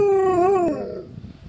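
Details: Windy, a 9-month-old Alaskan Malamute, gives a short tonal 'woo' howl lasting under a second. It wavers with a slight rise and then slides down before fading out, with rich, clear overtones and a quiet room background.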